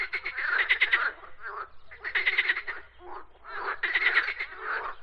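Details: Frogs croaking in bursts of rapid pulsed rattles, three croaking bouts spaced about every two seconds, each a quick series of clicks with quieter grunts between.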